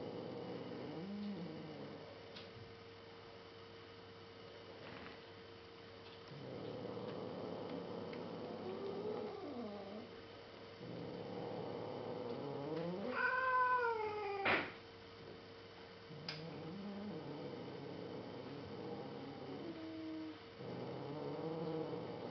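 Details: Younger female cat growling at the older black cat of the household; long low moaning growls in several bouts, one sharper higher yowl midway, steady electrical hum throughout.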